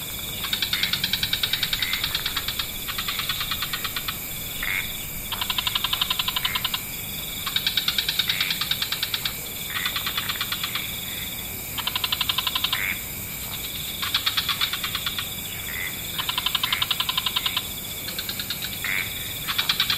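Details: Evening wetland frog chorus: regular bursts of rapid, rattling pulsed trills, roughly every two seconds, alternating with brief quieter gaps, above a continuous high hiss.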